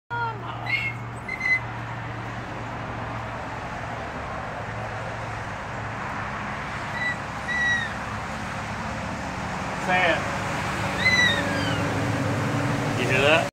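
A Basenji-Poo puppy gives short, rising yodel-like whines that sound a bit like 'momma.'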